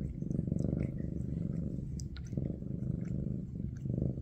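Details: Maine Coon cat in a big cat family that cares for kitten Ada, purring indoors: a steady, low pulsing rumble throughout, with a few soft clicks and rustles above it.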